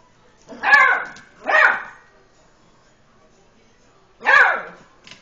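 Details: Eight-week-old Beagle puppy, scared during cautious play with a tom cat, gives two quick barks in succession, a pause, then a third; short harsh yelps in a small quiet room.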